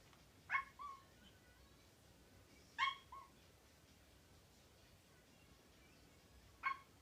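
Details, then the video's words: Domestic cat giving short, clipped, bark-like calls, three abrupt harmonic yips spaced a few seconds apart over a quiet indoor background. "Barking Cat"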